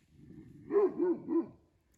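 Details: A Kangal shepherd dog, filmed at night by a forest trail camera near dead goat remains, gives three deep, rounded barks while scratching the ground to leave its scent; its tail is held upright, barking confidently rather than from fear.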